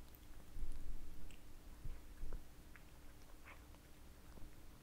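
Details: Domestic cats working through minced meat towers, a dense stretch of close, muffled chewing and mouth noises, loudest early on, with a few crisp clicks and a constant low hum behind.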